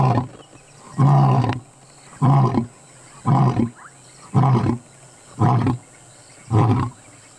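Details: Lion roaring up close at about 20 feet, recorded on a safari in South Africa: six deep, grunting roar bursts spaced roughly a second apart, each short and heavy with low rumble, separated by quiet gaps.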